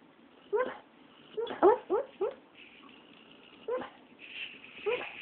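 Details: Female dog barking in her sleep indoors, her only barking: soft, muffled woofs and yips in short clusters, about six over five seconds, each brief and slightly rising, with a faint voice in the quiet room.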